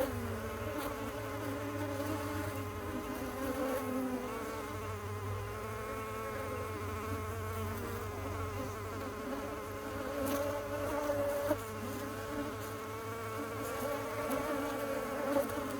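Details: Honey bees humming in a dense, unbroken drone of stacked wavering tones, level and steady, with a soft low rumble and a brief click near the end.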